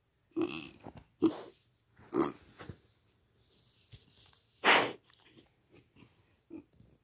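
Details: Four-month-old pig kept as a pet, making short harmonic grunts followed by a loud breathy snort, then softer little grunts trailing off, each sound separated by brief pauses.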